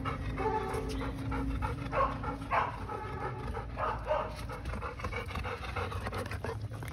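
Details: A dog pants in rough, uneven bursts of breath, briefly louder around the second and fourth seconds, with a steady low rumble of room noise beneath.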